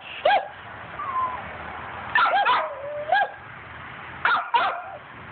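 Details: Dog hunting squirrels, giving high whiny yelps and short yips with sliding whimpers between, in clusters every second or so, over steady background hiss.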